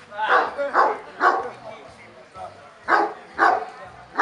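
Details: At the 2017 Kuvasz club show in Kishegyes, a Kuvasz gives a loud series of rough barks, about six in four seconds, in two bunches with a short pause between, while voices murmur in the background.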